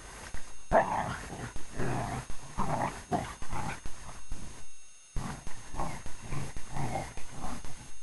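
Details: Playing English Springer Spaniel growling in deep, grumbling, irregular bursts roughly once a second, broken by one clear pause midway.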